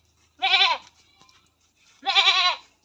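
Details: Goat on a farm during artificial insemination handling, giving two loud, wavering, nasal bleats about one and a half seconds apart, each under half a second long, with a faint low hum underneath.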